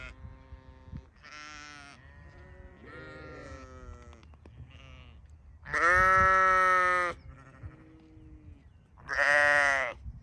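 Several sheep bleat at irregular intervals, the loudest baas strong, harmonic-rich and quavering. Softer, lower bleats fill the gaps between the louder calls.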